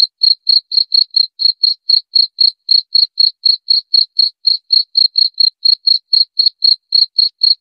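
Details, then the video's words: Cricket chirps intended to scare off rats, a long even train of short, shrill pulses repeated about four times a second, all at one high pitch, in otherwise complete silence. "Suara Jangkrik"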